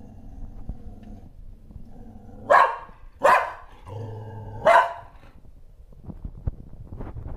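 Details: Shetland Sheepdog barking at something unseen: three sharp barks between two and five seconds in, then low background rumble and faint clicks.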